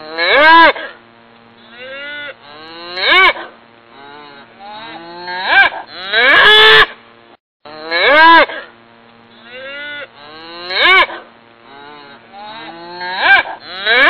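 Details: Beefmaster and Belgian Blue cattle bellowing: strong arching moos repeated every two to three seconds, one rough, broken call midway, quieter overlapping lows between, steady hum in the background.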